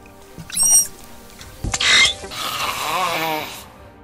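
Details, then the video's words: Manatee, louder than the dugong, with unique and fairly varied sounds; a short harmonic squeak rises and falls near the start, followed by broad noisy bursts and a wavering tonal squeal, over background music. "Manatee sendiri punya suara unik yang lumayan beragam."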